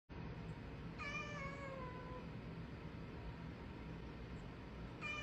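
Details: Cat meowing: one drawn-out falling meow lasting about a second, then a second meow starting near the end, over a steady low rumbling background hum.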